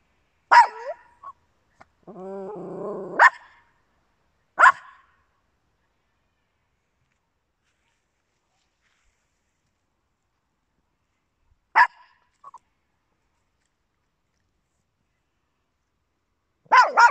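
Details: Small indoor dogs, Papillons with a Yorkshire Terrier: a sharp bark, then a drawn-out whining growl, further single sharp barks spaced several seconds apart with long quiet gaps, and a last bark at the very end.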